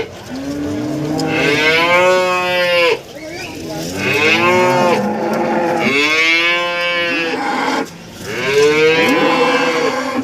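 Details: Cow at a cattle market in Warujayeng, Nganjuk, East Java, Indonesia, among breeding cows brought with their calves: four loud, rich moos in a row, each lasting about two seconds with short pauses between, and faint background murmur.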